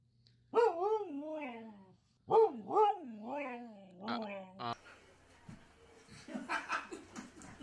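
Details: Pet dog indoors giving two drawn-out, wavering howl-like calls that rise and fall in pitch, each about a second and a half long, followed by a woman speaking and laughing with household noise.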